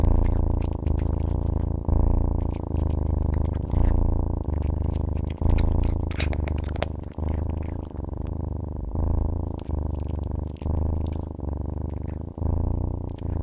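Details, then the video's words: Domestic cat purring steadily indoors, a low rumbling drone pulsing in breath-length cycles of about two seconds, with scattered clicks and handling noises over it. "CAT SOUNDS"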